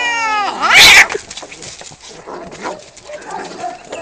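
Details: During a cat fight, a short falling yowl breaks into a loud, explosive hiss-spit burst. Scuffling and rustling noises follow at a lower level.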